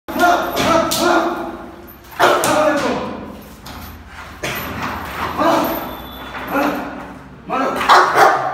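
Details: A Rottweiler in Bihar, India, gives deep, harsh barks every couple of seconds while protecting its owner.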